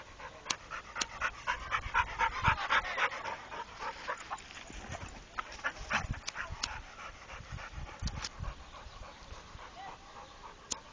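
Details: A trained Pit Bull panting rapidly, breathy huffs about four per second with sharp clicks and some faint voices in the background.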